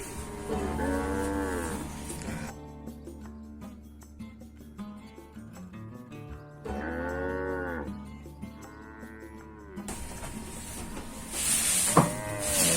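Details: Large cattle kept by a traditional Indonesian farmer, at feeding time while the old feed is cleared away. A long, arching moo opens, then two more rise and fall around seven to nine seconds, over steady background music.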